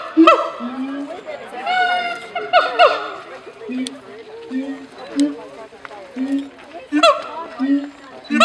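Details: Calls of a siamang in a zoo: sliding, wailing barks early and near the end, separated by regularly repeated low booming hoots over a busier, murmuring background.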